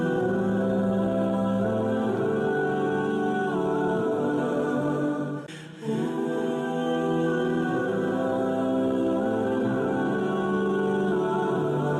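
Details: Sustained choral singing with layered humming voices fills the recording, briefly dipping near the middle, with no animal sounds.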